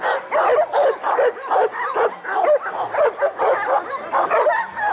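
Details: Loud, rough Šarplaninac barks at a special breed dog show in Smederevska Palanka, 25 March 2012, coming in an uneven string of heavy woofs, a little over one per second, with faint crowd noise.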